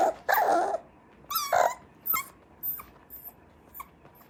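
A Cocker Spaniel puppy whines in high, nasal bursts with short yips between them.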